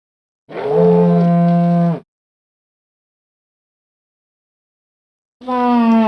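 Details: A moose gives two long, nasal, moaning calls, each lasting over a second with a slight drop in pitch.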